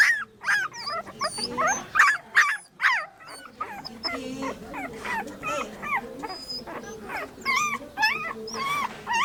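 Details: Puppy with dogs, high whimpering yips and whines in quick irregular bursts, some arching up and down in pitch, several overlapping voices, louder clustered calls early, then softer continuous whining.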